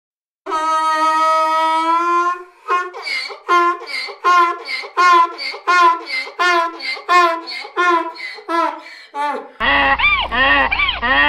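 A donkey gives a loud bray: a sustained, reedy opening note, then a rapid see-sawing series of rasping hee-haw pulses. A different, rougher harmonic sound follows at the end.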